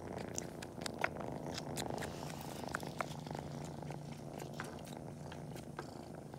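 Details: Kitten pretending to nurse on toes just before a nap, paw-kneading, with a low continuous purr under many sharp wet suckling clicks.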